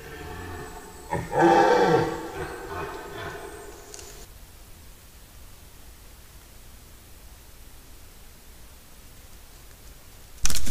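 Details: Red deer rut in forest, September: one short, loud, deep roar near the start, a few rougher bellowing notes after it, then several seconds of quiet woodland background ending in a sharp click.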